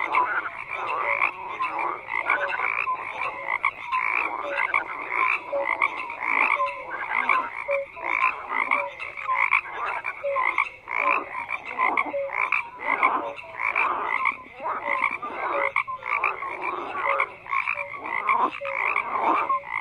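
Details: Dense frog chorus of many croaking callers, repeated pulsed bursts layered over each other without pause, with occasional brief tonal notes.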